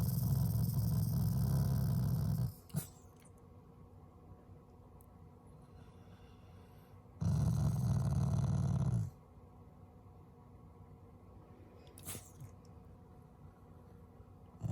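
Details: Affectionate Shiba Inu, a loving family pet, rumbling in low growls that are not angry: two growls of about two seconds with long quiet gaps and a few faint clicks.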